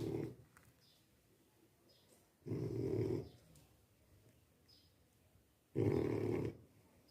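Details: Sleeping French Bulldog snoring indoors, with two long, low, grating snores about three seconds apart and faint softer breathing between them.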